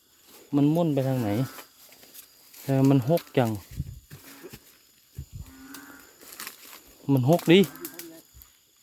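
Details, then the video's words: Loud chorus of narrow-mouthed frogs beside a creek on a night search: low, wavering, cow-like bleats in bursts of around a second, with quieter frogs between and a man's voice in the background. "สุดเจ๋ง เสียงดังลั่นห้วย ออกหาส่องอึ่งกัน"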